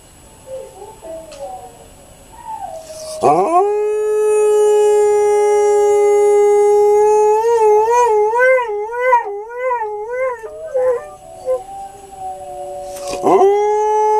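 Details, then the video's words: A male Alaskan Malamute, apparently enjoying his own voice, gives a long, sustained howl that wavers up and down in pitch. "Diesel Howling (Alaskan Malamute)"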